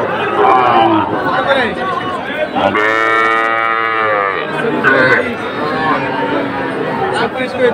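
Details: Young Sahiwal bull calves at the Ambari cattle market, where a Kushtia farmer is buying, 24 May 2024: a single drawn-out, steady moo of about one and a half seconds rises through dense crowd chatter and traders' voices.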